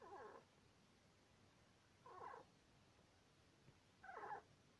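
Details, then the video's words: Asleep in his home, Sweetpea, a two-year-two-month-old male Syrian hamster, gives three brief buzzy squeaks spaced about two seconds apart, in a snore-like rhythm over faint background hiss. "Syrian hamster squeaks in sleep"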